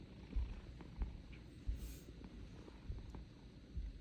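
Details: Sleeping cat snoring in low, rough pulses, about six louder breaths spaced irregularly over a few seconds, purring texture underneath, quiet room.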